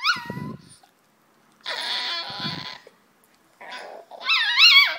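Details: Poodle in China, presented as two-headed and squabbling with itself, alternates short low growling rumbles with high, bending whines and a final loud wavering yelp, all indoors with silent gaps between bursts.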